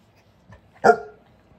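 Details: Bernese Mountain Dog playing with a baby at home, recorded on a Canon EOS M50: one sharp, loud bark with a ringing harmonic tone that fades quickly, preceded by a faint soft huff, otherwise quiet indoors.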